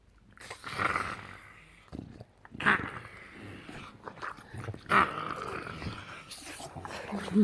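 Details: English Bulldog playing on a couch indoors, making weird gremlin-like growls and grunts in irregular bursts, with a person talking to the dog between sounds.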